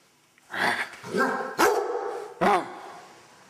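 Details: A pet Basset Hound being given a bath gives a drawn-out, wavering whine followed by two deep, sharp barks.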